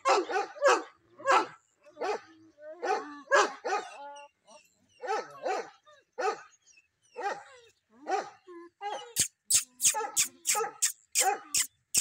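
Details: Bully Kutta hunting dog from Punjab, Pakistan, barking repeatedly in short harsh bursts, often paired, with a whimper between. A run of sharp clicks follows near the end.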